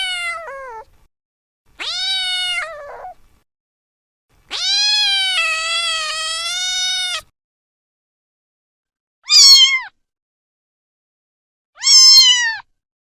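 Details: Cats and kittens meowing: five separate drawn-out mews, some long and wavering, others short and rising then falling, separated by quiet gaps.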